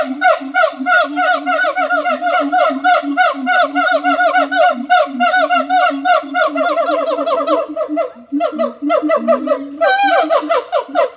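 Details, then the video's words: Long siamang calling bout of fast, repeated wavering notes over a sustained low tone, the rhythm speeding and tightening toward the middle before breaking into rougher, rising notes near the end. "suara monyet siamang / gibbon monkey sound"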